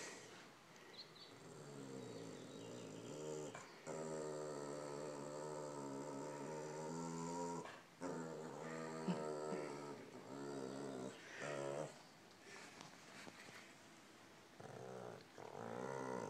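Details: A pet dog playing with its new toy, making long, wavering, moaning growls with rich harmonics that rise and fall almost continuously, broken by short pauses; a woman talks to it, asking for the toy.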